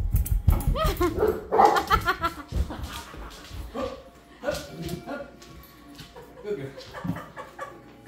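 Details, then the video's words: Female Great Pyrenees Krystale Joy asking for treats gives a cluster of rapid, whiny yelping barks early on, then quieter, scattered vocal sounds amid a person talking and soft background music. "she's on the treat mode.. Krystale Joy the Great Pyrenees.."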